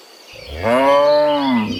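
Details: Cow heading back to the barn from the field in the morning: a single close, loud moo that rises into a steady, rich, nasal tone and then fades slightly, with little background sound.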